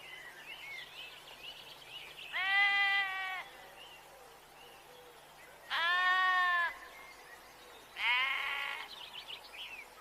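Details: Sheep bleating three times, each a loud, wavering, harmonic-rich cry of about a second, spaced a few seconds apart, with faint bird chirps in the background.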